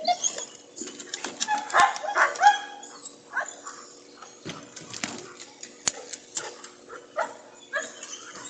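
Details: Pregnant female German Shepherd asking to go swimming, giving short broken whines and moaning yelps between frequent clicks and scuffing sounds, with a human voice possibly present.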